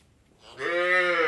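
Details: Indian dairy farm cow letting out a short, rising moo that quickly turns loud and bright, richly harmonic and held briefly.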